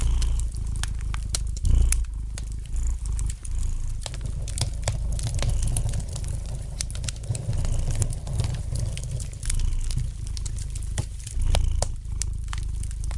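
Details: Gently purring house cat by a fire: a steady deep rumbling drone rising and falling with each breath, while the light crackle of burning wood snaps irregularly throughout.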